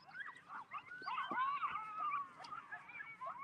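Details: Several coyotes very close by at a horse rescue in Nebraska, usually out in the timber, yip and howl together in a wavering, overlapping chorus of high, sliding cries.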